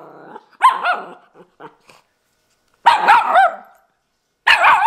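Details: Miniature Schnauzer puppy named Nori talking back; short, high, yelping barks and whiny vocal bursts in three separate groups with silent gaps between.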